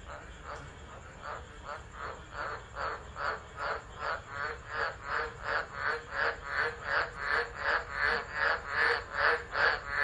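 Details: Tropical frogs calling during a tropical storm at Driver, Northern Territory, Australia, on 13 December, recorded by a phone left on the ground: a steady run of harsh pulsed croaks repeating about every half second, growing louder, with a faint high whine above.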